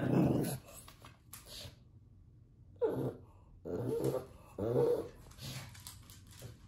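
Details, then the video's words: Bowser, a pet pug, vocalizing at puppies playing on the television: low, throaty whining growls in several drawn-out bursts, with quiet pauses between them. "Pug Bowser Barking"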